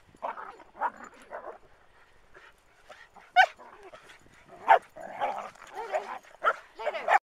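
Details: Manchester Terriers racing through the dunes at Waxham in 2012. Sharp, rough barks and yaps come in clusters with uneven spacing, loud bursts among softer ones, with some faint voices mixed in.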